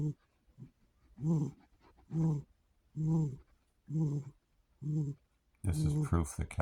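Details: Sharpshooter, a male house cat, sleeps soundly indoors on a relaxing afternoon after playing all night. He gives low, throaty snores, one about every second, six in a row, before a person starts talking over the last snore.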